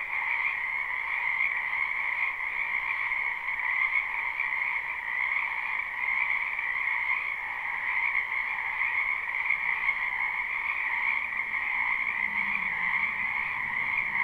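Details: Large spring gathering of wetland frogs, recorded live and unlooped: a sustained chorus of overlapping trilled croaks that never breaks, two steady pitch layers, and a faint low murmur appearing near the end.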